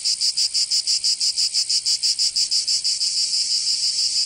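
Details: Cicadas in Provence, southern France, during summer: sharp high buzzy pulses repeated about four times a second, merging into a continuous shrill drone in the final second or so.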